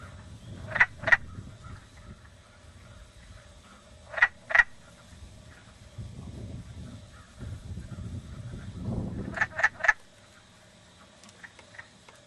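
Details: Wood frog. Wood frogs call in brief raspy clucks, much like quacking ducks, often doubled or tripled in quick bursts. A low rumble of wind or distant noise runs underneath.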